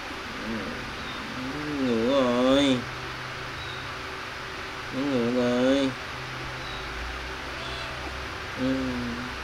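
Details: Playing, feeding kittens give three wavering, quavering meows, the middle two long and undulating, separated by pauses of a few seconds, over a constant low indoor drone.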